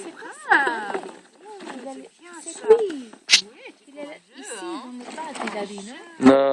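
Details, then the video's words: Several five-week-old Labrador Retriever puppies at play in a garden yelp and whine over and over, each call a bright arched squeal, some rising and some falling, packed closely together with sharp clicks between them. "Labrador puppies playing"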